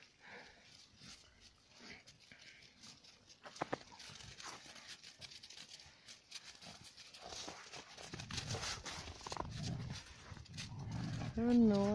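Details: Central Asian Shepherd Dogs, a mother and father in rough play with their puppies joining in, the female attacking the male; soft scuffling and rustling build to louder tussling, ending in a short, high, tonal whine or yelp.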